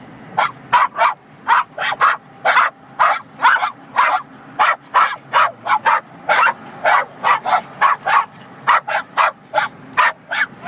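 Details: Cairn Terriers in a car on a highway barking at semi trucks being passed: a continuous run of shrill, rapid yaps about two or three per second for ten seconds, with engine and road noise underneath.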